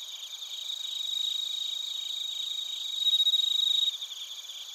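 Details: Crickets and bell crickets sing in Narita, Chiba Prefecture, Japan, picked up by a TASCAM Portacapture X8: a constant high, ringing background with one nearer insect giving a loud, fast, buzzing trill for about a second before it stops abruptly.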